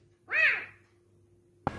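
A serval gives one high, arching call that rises and falls, sounding much like a drawn-out "wow."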